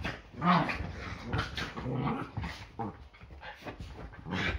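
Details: Yorkshire Terriers play fighting at home on a Sunday morning before breakfast; low rumbling growls mixed with snarls and a few higher yelps.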